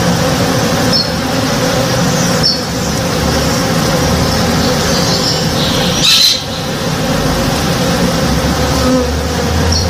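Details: Morning backyard recording of honey bees working a blossoming tree: a thick, even hum of many wings, one brief sharp knock around the sixth second, and light high chirps from birds in the distance.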